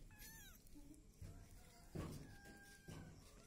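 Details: A Peaknose and Javanese mix kitten, called to come and look for food, gives a short falling meow and later a faint level one, among thuds and handling noises from the room.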